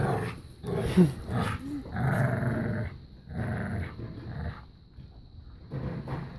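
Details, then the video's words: Playful growling from a new puppy and a five-year-old black lab pit bull mix during keep-away and tug of war: low rumbling bursts with scuffling, uneven pauses between growls. "playing keep away and tug of war"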